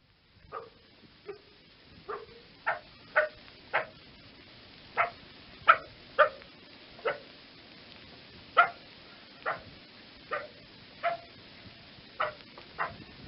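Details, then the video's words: Fox giving short, sharp barks, about fifteen over the stretch, spaced irregularly one to two seconds apart, some ending in a lower tonal tail; quiet background hiss throughout. "fox sound effect"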